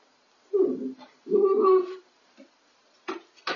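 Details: Belle, a Miniature Dachshund about to whelp, indoors at night in a laundry room. She lets out two drawn-out, low, moaning whines, each under a second, followed by a few brief faint sounds.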